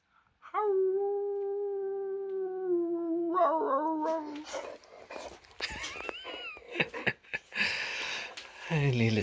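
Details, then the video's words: Boxer dog howling while talking with its owner indoors: one long, steady, mid-pitched howl held about four seconds with a slight wavering end, followed by a man speaking Swedish and mixed clatter. "Funny And Cute Boxer Dog Howling And Talking With His Dad"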